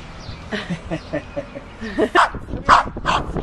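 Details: Dog in a trick-training compilation, giving soft rhythmic yips that build into three louder, sharp barks about half a second apart.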